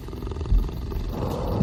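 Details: A tiger of the Sundarbans gives a deep, rumbling roar, its low growling energy swelling and holding steady.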